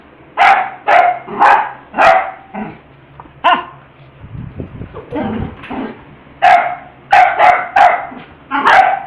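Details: Domestic dog barking while playing with a ball, acting silly: a run of four loud, evenly spaced barks, a softer middle stretch of grunting and muffled yips, then another burst of five rapid barks.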